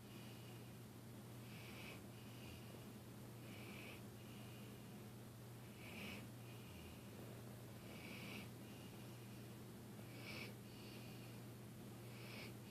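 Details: Sleeping dog named Dilly snoring in a small room, each raspy, wheezing inhale-exhale bursting out about every two seconds in a steady, even rhythm against a constant low hum.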